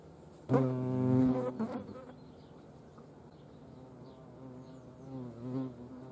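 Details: At a feeding place in Dohr in Germany's Eifel, a European hornet's flight hum bursts in loudly for about a second and a half, then fades, with a softer return of the deep harmonic buzz near the end.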